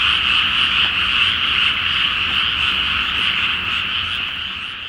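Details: Massed frogs calling at night from a flooded paddy awaiting rice planting, full moon overhead, Japan; many overlapping croaks form an unbroken rattling chorus that stays level and then fades slightly toward the end.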